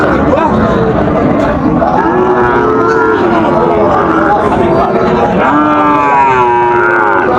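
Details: Sahiwal bull calves for sale at Raniganj market in Dinajpur, 30 September 2024, as the market opens: a string of sustained lowing moos, some sliding downward, set against constant bargaining talk and crowd noise.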